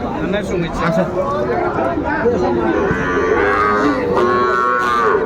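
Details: Cattle at a market in Mymensingh, Bangladesh, 14 January 2025, where small bull and heifer calves are being bought; drawn-out lowing moos rise above a steady din of market chatter and background crowd noise.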